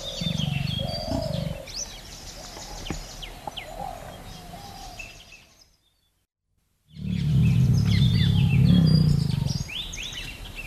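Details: A Bengal tiger yawns in the forest with deep, throbbing, pulsed groans. A short one opens the recording, a sudden break of silence follows, then a longer, louder groan comes in. Forest birds chirp and whistle overhead.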